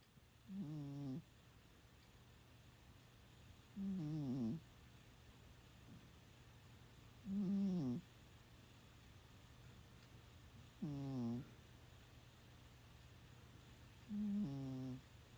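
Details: Mei, a Scottish Fold cat, snores while sleeping indoors: five low, buzzy, harmonic-rich snores, each about half a second long, repeating roughly every three to four seconds over a faint steady hum.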